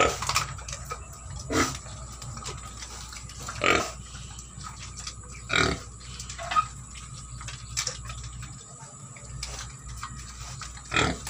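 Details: Native pigs that have broken a hole in their pen give short, harsh grunts and squeals, one burst every two seconds or so, over a steady electrical hum.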